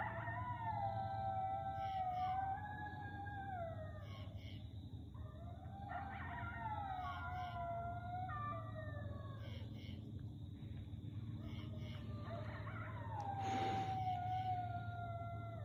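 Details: Grey wolf pack howling before dawn along the Carlyle Concord line, Massachusetts: several overlapping drawn-out tonal howls, sliding down and rising, layered voices building in a crescendo over a low steady hum.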